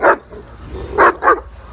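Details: Dogs in an angry confrontation, a German Shepherd with her young attacking a Boxer; three sharp, loud barks, one then a close pair about a second later, with Russian speech just before and after.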